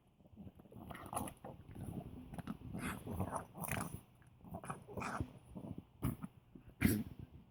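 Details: An old poodle makes low, snorting, pig-like grunts in quick bursts while eating something tasty, mixed with wet chewing clicks.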